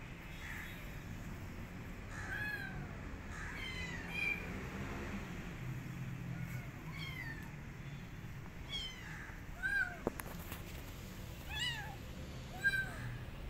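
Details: A rescued street kitten, not eating and eager to get back outdoors, meows repeatedly: short, high, slightly descending cries in loose series every second or so, with a few thumps and handling noises in between.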